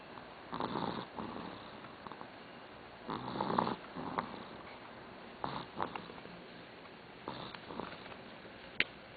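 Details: Sleeping dog Doudou gives a run of uneven snores, rough airy snorts in short bursts with quiet gaps between, one sharp click near the end, in a hushed indoor setting.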